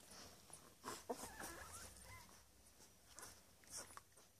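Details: Labrador Retriever puppies only ten days old in Uruguay, nursing and dozing; a thin rising-and-falling whimpering squeal stands out midway, surrounded by soft sucking clicks and rustles.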